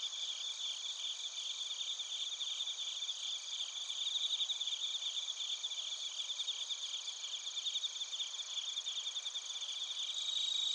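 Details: Japanese crickets and bell crickets recorded in Narita, Chiba, with a TASCAM Portacapture X8: a sustained, shimmering high-pitched trill chorus, with rapid pulsing that strengthens midway and grows louder toward the end.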